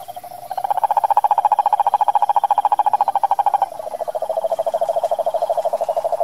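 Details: Continuous rapid pulsed trill of a wild cane toad in the Brazilian Pantanal, rising in loudness, then a second slightly lower trill continuing after a brief overlap.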